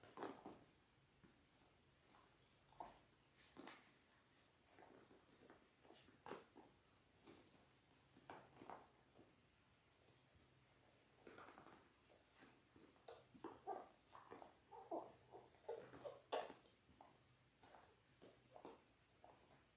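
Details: Ten-day-old Labrador Retriever puppies from a litter of six born January 18, 2022, on an indoor puppy cam; soft, short squeaky whimpers come in scattered bursts, thickest near the end, among rustling and clicking bedding noises.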